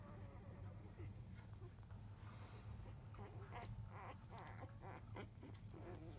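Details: Newborn field-line Labrador Retriever puppies, five days old, left alone while the mother dog eats in early afternoon; a cluster of thin squeaky cries and grunts builds in the second half over constant low electrical hum.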